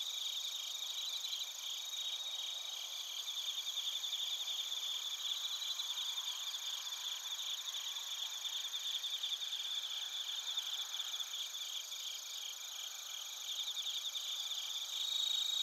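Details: Chorus of bell crickets and other crickets recorded in Narita, Chiba Prefecture, Japan, using a TASCAM Portacapture X8: layered high, rapidly pulsing chirps from many insects form a continuous even wall of sound throughout.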